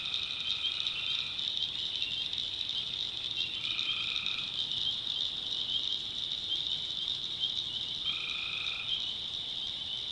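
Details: North Carolina swamp at night with tree frogs: a dense, unbroken high chorus carries three separate trilled calls, each under a second, spaced roughly four seconds apart.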